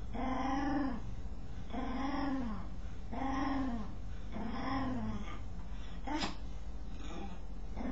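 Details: Dog making a strange noise while scratching itself: four drawn-out, harmonic, arching moans, each under a second and spaced about 1.3 seconds apart, followed by shorter, clipped sounds near the end; steady low background hum.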